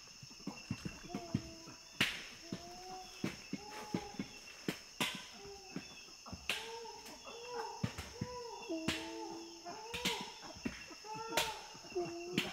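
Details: Feeding chimpanzees, Tai Forest, West Africa: sharp cracking snaps every second or so punctuate soft, level-pitched tonal grunts that come in short overlapping bursts, growing busier toward the end.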